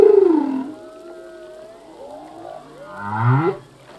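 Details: Song of a male humpback whale recorded off Hawaii in 1998: a low moan sliding downward, then long tonal wails and a rising, pulsed groan.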